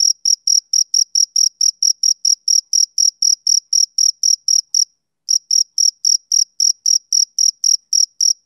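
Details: Summer-evening chirping of a male cricket: crisp, shrill chirps repeating roughly four times a second. The song breaks off for a brief pause about halfway through, then resumes at the same pace. No other sounds.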